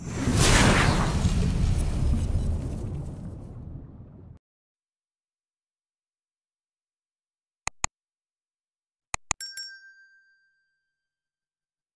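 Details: A loud burst of rushing noise fades out, then silence broken by a few sharp glassy clinks, with no animal voice.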